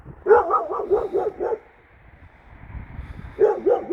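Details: Kangal Nazo, a shelter dog, reacting to a strange stray female dog in the neighbourhood: a quick run of about six loud, hoarse barks, a pause with low rumbling, then another burst of barks.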